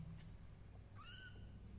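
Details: Tuxedo kitten decorated with beads, walking around indoors: one short rising-then-falling meow with bright harmonics, set against a constant low-pitched background hum.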